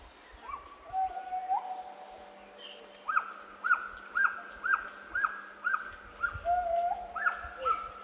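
Gibbons sing clear, hooting whoops that rise and fall, then quicken into a run of bright repeated notes.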